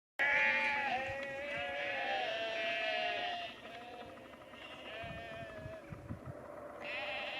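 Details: Sheep being called and moved down a lane to another field by their farmer near Cefn Coch, Powys, Wales, on 31 March 2021; several overlapping wavering bleats, loud for the first three seconds, then softer, with a fresh bleat near the end.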